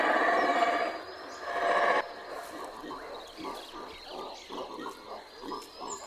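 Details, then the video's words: Guatemalan black howler monkeys, a family troop in Central American treetops, in an intense howling session: a loud, rough, droning roar for two seconds, then quieter pulsing grunts that rise and fall about once a second. "Howlers can be heard from several kilometres away."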